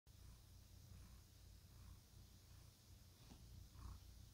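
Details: A cat purring in satisfaction: a steady, low rumbling purr that swells and fades in a regular rhythm with each breath, continuous throughout, over a faint hiss of background noise.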